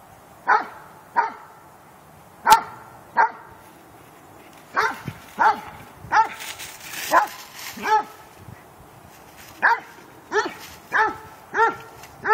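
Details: Two dogs, Cooter and Sammi, playing together: sharp, ringing barks in short bursts, some single and some in quick pairs, with brief pauses between volleys and a louder yip near the start.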